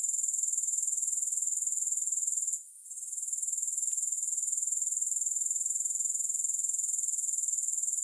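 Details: Soothing grasshopper sounds without music: an even, high-pitched rasping buzz, rapidly pulsed about four times per second, with one short gap after two and a half seconds and a faint click afterward.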